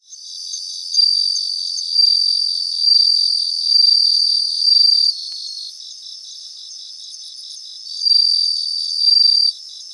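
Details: Bell crickets singing in a grassland: high, bell-like ringing tones in bursts about a second long, five bursts with a gap midway, over a steady rapid pulsing chorus of more insects.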